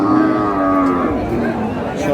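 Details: Beef cow at the Aftabganj livestock market, 22 April: one sustained low moo lasting about a second, gently falling in pitch, set against market chatter and a man calling out numbers.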